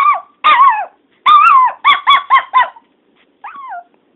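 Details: Teddy, a pet dog, calling out while missing his owner's sister, who is out of sight; a short run of ringing, harmonic yelps, some bending downward, several quick ones in a row, then a pause and a final softer drawn-out note.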